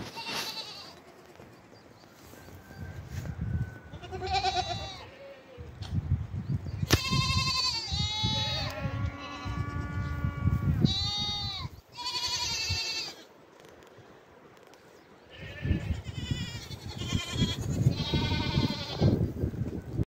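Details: Several goat kids bleating in quick succession, with wavering, nasal, quavering cries that overlap and rise and fall, one drawn-out call near the middle, and rustling and thumping in the background.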